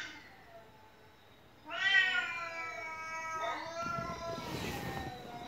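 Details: House cat crying repeatedly: after a quiet opening, one loud, long, steady meow with rich harmonics begins, followed by a second drawn cry under soft rustling noise.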